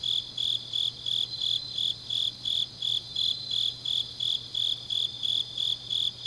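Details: Grass insects on a deep autumn night in Changnyeong, South Gyeongsang, Korea: a steady high chirping pulse repeated about three times a second, with a fainter second chorus of insects behind and a low constant hum.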